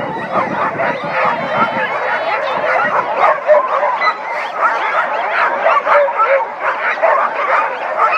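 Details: Sled dog. Many sled dogs join in one continuous chorus, their wavering, yodelling howls rising and falling over each other. Sharp yips and whimpers break through the dense, unbroken wall of voices.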